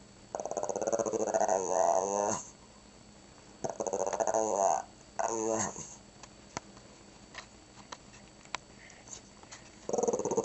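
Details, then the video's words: Pet Shih Tzu "talking" by growling as if saying "grandma": three pulsed, warbling growl bursts separated by quiet gaps with small clicks and faint human speech, a fourth burst starting at the end. "Talking Dog Says Grandma"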